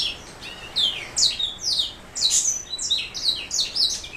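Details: Black throat mule, a canary hybrid, singing a fast run of high, sweet, slurred notes and short trills, with rising and falling whistles that come in bursts about every half second.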